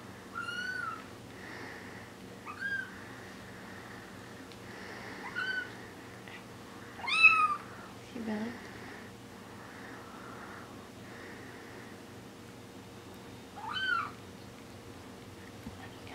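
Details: Four-week-old Bengal kittens give thin, high meows with rising and bending pitch, about six scattered calls across sixteen seconds, one lower and shorter, over a faint steady indoor hum.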